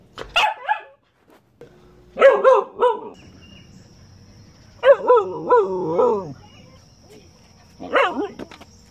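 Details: Pet dog answering a person's request to say good morning with short bursts of warbling, yodel-like howls, each cluster of quick rising and falling notes separated by a few seconds of quiet.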